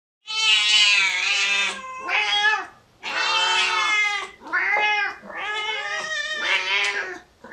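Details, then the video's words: Domestic cats meowing: loud, drawn-out harmonic wails in a rapid series of six or so calls, some rising then falling, with short gaps between them. "GATOS MAULLANDO sonidos de gatos maullidos"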